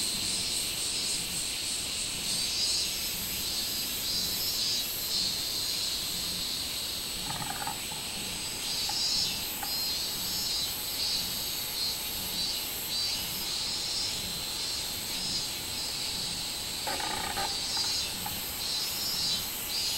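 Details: Robust cicada (minminzemi) singing on 24 July 2016, a loud, high, shrill buzz with a pulsing rhythm that swells and fades, over steady insect hiss, with brief lower sounds near the seventh and seventeenth seconds.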